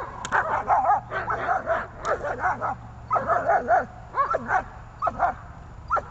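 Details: German Shepherd during protection training at the botanical garden in Donetsk on 21 November 2020, barking in loud, harsh bursts that come in quick clusters of two to four, with brief pauses between volleys across the whole stretch.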